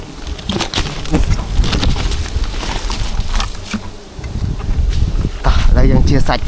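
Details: Honey bees at honey water, a low, droning buzz running continuously through the clip, with scattered clicks and knocks on top and a louder swell near the end.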